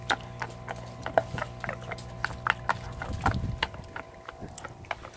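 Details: A Belgian Malinois, a large dog, chews hard on a cow bone, producing loud, dry, irregular cracks and snaps in uneven bursts over a faint, steady electrical hum.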